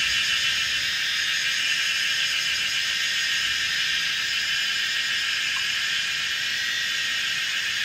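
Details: A dense chorus of Kaempfer's cicadas forms a steady, high, hissing buzz without breaks, at a hillside corner on the old Route 106, Pinghe Village, Taiwu Township, Pingtung, Taiwan, at 17:30 on 19 May 2016.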